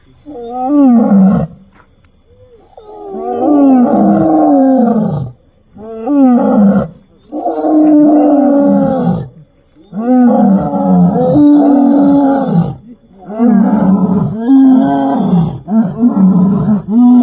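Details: Late-night roaring by a lion and lioness of a lion family on the Morajar–Manavav road near Dhari, Gujarat, announcing their presence; a long series of deep, moaning roars, about eight bouts, repeated every two seconds or so.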